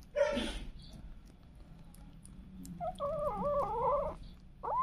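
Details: Cats and kittens at home: a short, harsh burst of sound opens, then a quiet gap, then a wavering meow about a second long and a rising, upturned meow cut off at the end.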